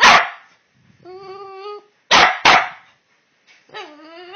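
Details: Two Boston Terriers vocalizing back and forth indoors: a sharp bark, then a drawn-out harmonic whining moan, two more quick barks, and another rising then falling whine at the end.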